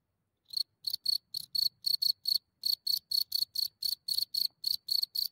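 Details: At night in Germany a cricket leaves its hole, recorded from a few centimeters: after a brief silence, loud shrill chirps start and repeat quickly in an even train, with faint low rustling underneath.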